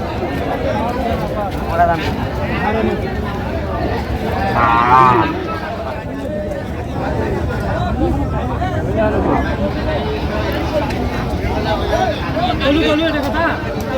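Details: Lean, bony cows at the Ambari cattle market (haat) on 23 October 2025, lowing with low drawn-out moos half-buried under constant crowd chatter and bargaining men's voices.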